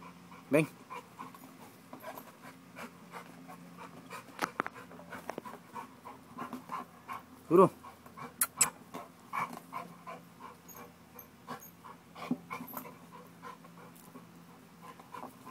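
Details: An American Bulldog pants hard while working out to build muscle, fast, even breathy gasps running throughout with occasional louder heaves, plus a short human utterance and a faint background hum.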